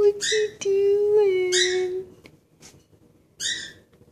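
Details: A Dobermann waiting for someone gives a long, steady, moaning whine that wavers slightly before trailing off.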